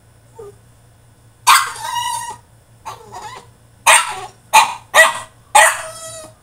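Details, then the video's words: French Bulldog throwing a tantrum in his cage: a series of harsh, strained barks and yowls, the first drawn out nearly a second, then shorter bursts in quick succession, with a low hum underneath. "FRENCH BULLDOG THROWS TANTRUM IN HIS CAGE!!"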